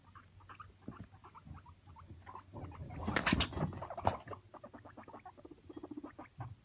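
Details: Pet guinea pigs escaping, recorded on a phone placed on the floor at home: short repeated squeaks and chirps in quick irregular runs, with a louder rustling, scuffling burst in the middle.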